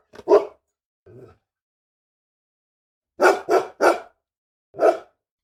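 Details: Angry large dog barking, also described as crying and growling: two quick barks, a brief low growl-like grunt, a pause, then a fast run of three harsh barks and one final bark.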